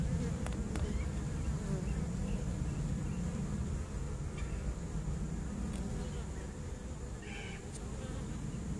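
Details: September 2014 honey bee swarm inside a swarm trap, droning as a thick, continuous low hum with a slightly uneven throb, plus a few faint higher ticks and a brief chirp-like sound late on.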